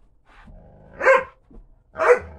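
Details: Doberman, one of two sisters playing indoors; two short, sharp barks about a second apart, each bursting loud and then dropping, with a faint yip and low grumbling before them.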